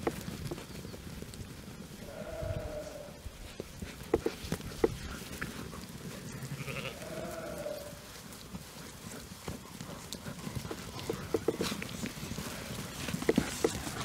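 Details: Young Jura sheep about 12 months old, in a flock joined a few days earlier by a breeding ram; they graze on pasture by day and are stabled at night. Two drawn-out, wavering bleats about five seconds apart over low rumbling background noise.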